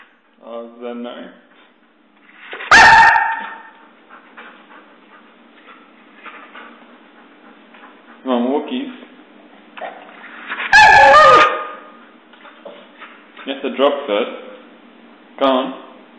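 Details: A pet Husky, wanting to go out for a walk once its owner is home from work, gives wavering, warbling whines and short yodel-like moans between loud bursts, with a person talking in between.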